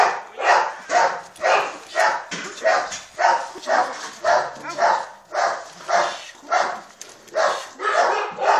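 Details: Three-month-old Malinois puppy biting a puppy sleeve; short, harsh barks or yips repeated roughly twice a second in a steady series, with a little human speech.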